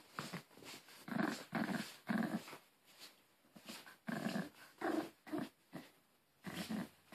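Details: A Maltese named Harry guards his beloved Angry Birds toy in a small room, giving a string of short pulsed growls, each lasting about half a second, separated by brief pauses.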